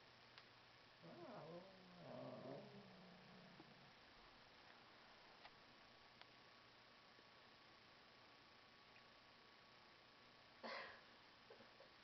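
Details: Two kittens meeting for the first time and fighting; two drawn-out, low wavering yowls early on, followed by near silence and a single short sharp noise toward the end.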